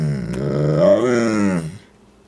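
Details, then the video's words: Rufus the pet dog, indoors, answering his owner's urging to say "I love you": a low, grumbling groan that rises to a wavering, voice-like moan before breaking off, a voice offering chicken nearby. "funny talking dog rufus"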